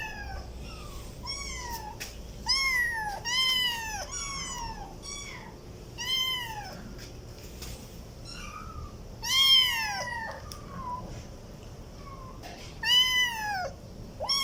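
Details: Kittens meowing: a run of short, high, arched meows with rich harmonics, some brief and chirpy, others longer and falling at the end, spaced irregularly over a steady low room hum.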